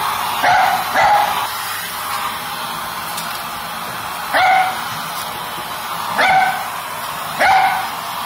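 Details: Fourteen-year-old female Lakeland Terrier in a kitchen during board-and-train work for jumping and attacking appliances; short sharp barks come singly and in pairs at irregular intervals, with a person praising her softly before the first.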